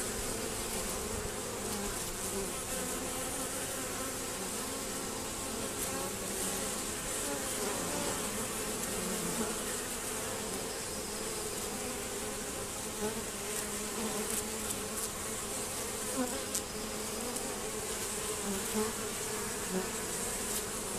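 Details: Honey bees still attempting to rob at a hive entrance narrowed and shielded by a Z-shaped screen. An unbroken chorus of buzzing from many insects, steady in loudness, with intermittent higher whines of nearby fliers throughout.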